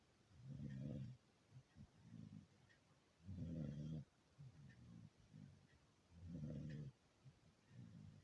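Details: A sleeping beagle snoring: deep, rumbling low snores swell roughly every three seconds, with softer, shorter breathy snorts in between, in an otherwise quiet room.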